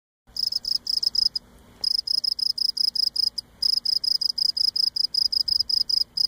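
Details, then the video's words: Cricket singing close up on Cape Cod, rubbing its legs against its abdomen: loud chirps with a high pure tone repeated rapidly, about three per second, with a brief pause early on and a quiet background. "Cape Cod Cricket Singing Close up"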